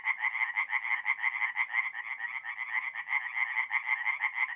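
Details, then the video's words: Tree frogs singing at night in a forest pond in mid-April, North-East Italy: a dense chorus of rapid harsh pulsed croaks, roughly two per second, overlapping continuously with no other sounds. "relaxing forest pond by night with singing tree frogs"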